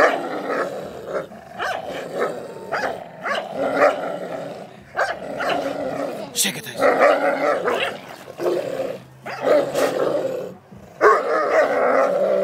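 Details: A brindle pit bull and a Doberman at play, giving rolling growls and snarling grumbles in repeated bursts with short gaps, a sharp clatter midway, and a few bark-like yelps near the end.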